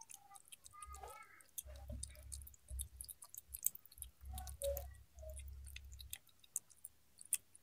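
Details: Cat eating, close up: crisp clicking and crunching chewing bursts scattered throughout, with low thudding patches between two and six seconds and a few brief tonal sounds near the start.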